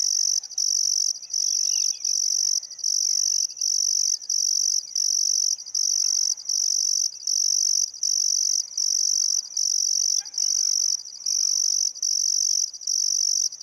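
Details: Riverside crickets in Outback Queensland's Welford National Park on the Barcoo River, summer sunset: loud, shrill trilling pulses repeating regularly near once per second, with faint distant bird calls mixed in.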